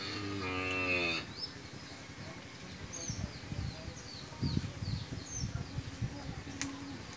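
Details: Friesian cow on a dairy farm in Pabna, Bangladesh, family-raised, recently calved for the first time with a bull calf; one deep, harmonic moo lasting about a second opens, followed by steady chirping of small birds around the farm.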